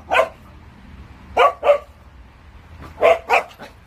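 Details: Black-and-tan Jindo dog barking: five sharp, loud barks in uneven bursts, one alone, then a pair, then another pair and a softer trailing yip, with quiet between them.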